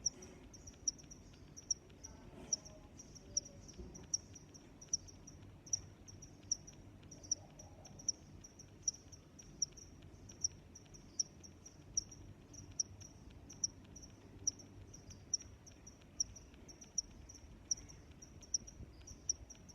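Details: Steady cricket chirping, a relaxing sound of nature: bright, high chirps pulse at a regular pace of roughly one per second throughout, above a quiet low rumble and a brief faint sound early on.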